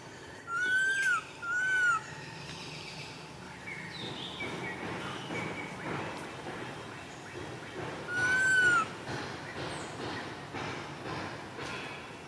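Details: Crying baby monkey, left uncared for by its mother: a pair of piercing, bent whistled wails close together, a long pause with low background murmur, then a third similar cry.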